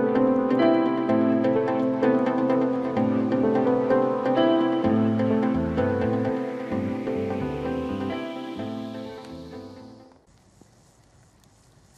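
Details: Plucked harp-like instrumental music with a steady pizzicato pulse and a rising shimmering sweep, fading into near silence after ten seconds; no animal sound.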